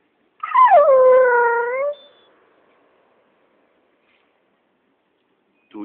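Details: Siberian Husky responding to its owner with one drawn-out, whining howl. It starts high, slides down, then holds steady and even for about a second and a half before stopping. A person's voice briefly begins at the end.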